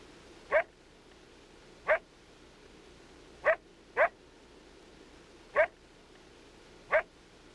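A coyote gives loud, coarse, sharply distinct aggressive barks, single and unevenly spaced.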